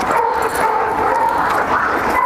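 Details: Reunited flat-backed German Shepherds, a mother named Shunshun asserting herself over her daughter after a year's separation; a thin, wavering high whine runs through most of the moment, with slight rises near the end, over constant outdoor hiss.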